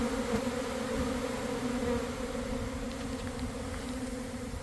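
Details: Honey bee swarm forming near a garden hive around one in the afternoon, after a week of cold, damp weather; bees landing and starting to fan. A dense, steady hum with two low droning tones, unbroken throughout.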